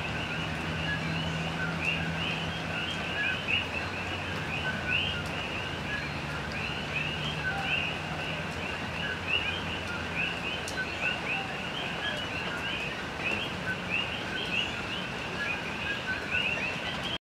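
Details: A dense night chorus of common coqui frogs at Hilo on Hawaii's Big Island, each giving short, high, two-note chirps over a low engine hum.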